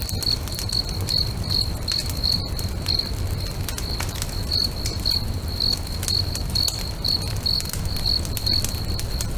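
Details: Crickets by a lake at sunset keep up a rhythmic stream of clear, high chirps, about two each second, set against the sharp crackle of a bonfire and a low steady rumble.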